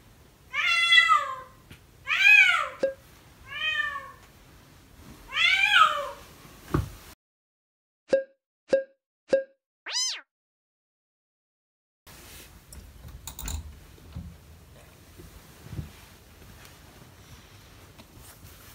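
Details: Kitten crying loudly and persistently in the morning with an unusually frightening voice: four long, wavering, harmonic meows in quick succession, then a few short sharp pips and a stretch of rustling indoor noise.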